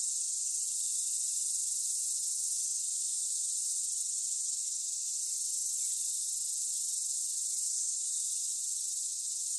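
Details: Continuous shrill buzzing of singing cicadas, an even, seamless high drone that holds at one level from start to finish with no pauses or other sounds.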